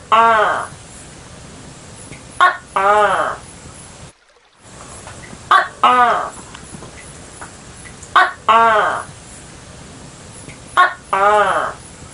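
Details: Repeated tok-keh calls of a tokay gecko: five paired notes, a clipped first syllable and a longer resonant nasal second one, recurring every two to three seconds with a short silent gap midway.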